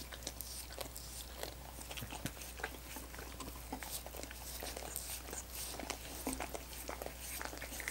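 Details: Dogs lapping at coconut water popsicles, a dense stream of soft wet clicks and slurps with occasional sharper smacks, steady low electrical-sounding hum underneath.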